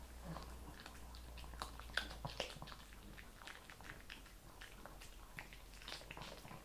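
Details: Shih Tzu eating kibble with quick, uneven crunching, roughly two bites a second, a brighter crack near the middle, and a faint low hum behind.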